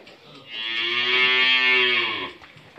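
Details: An 11-month-old Friesian heifer calf on a dairy farm in Bhangura, Pabna, Bangladesh, gives one long, even moo of about two seconds. The moo is steady and richly harmonic, bright and nasal in tone, and begins and ends cleanly.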